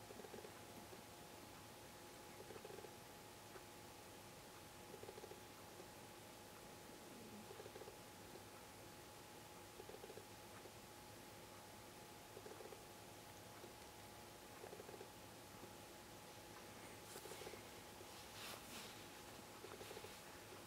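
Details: Clingy house cat snuggling up in cooling autumn weather, purring quietly in regular pulses about every two and a half seconds, a faint mechanical hum beneath and brief rustling toward the end.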